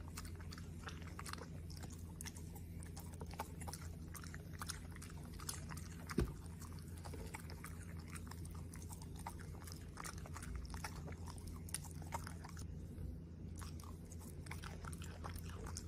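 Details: Domestic Corgi eating a meal of steak, pumpkin, asparagus and other foods: continuous busy chewing and lip-smacking clicks, with one sharper knock around the middle and an unbroken low hum beneath.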